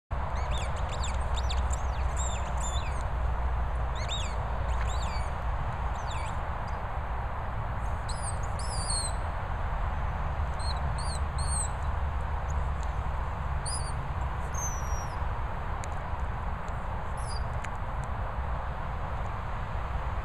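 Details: Cassie, a Border Collie, squeaking: a scattering of short, thin, high-pitched squeaks, some rising or falling, in loose bursts over about twenty seconds, above a steady low rumble of background noise.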